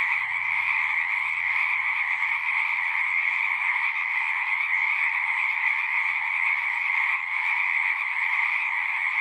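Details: Frog chorus from a pasture pond, Zoom 6 recording: countless callers sustain a bright, even, high trilling drone with a second lower band, while a faint low rumble sits underneath during the first half.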